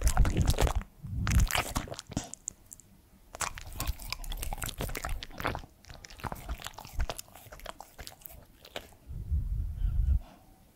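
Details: Crunching and biting from Edmundo, a three-year-old male Pembroke Welsh Corgi, while eating indoors; rapid, uneven crackling chews roughly four per second, with heavier low-pitched crunches at the start and close.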